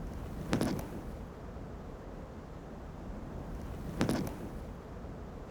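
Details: Steady outdoor wind rumble with two brief sharp knocks, one early and one near the end, and no animal voices.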